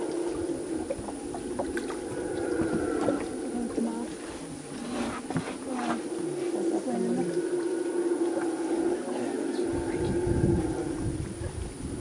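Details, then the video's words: Howler monkey roaring from the jungle close to the Rio Madre de Dios, heard from boats; a loud, deep, rough drawn-out roaring sustained throughout, with boat and water noise and people's voices. "Howler monkey near the Rio Madre de Dios"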